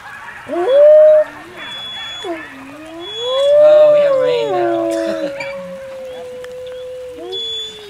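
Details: At Howl Night, Wolfgang, alpha wolf of the Main Pack, gives a loud, clear howl. A short rising note comes first, then a long swelling tone that holds level and slowly sags. Faint voices and rain sounds lie underneath.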